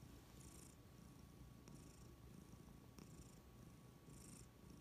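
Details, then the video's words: Domestic cat purring happily, a soft low rumble held steady throughout, with brief airy hiss bursts every second or so as the cat breathes; quiet room otherwise. "Cats purring happily"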